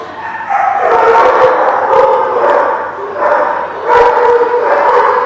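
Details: Dogs at The Barking Lot, recorded 11/10/17, keep up a continuous stream of loud, overlapping, harmonic howl-like cries and barks. The yowling swells and dips without a pause.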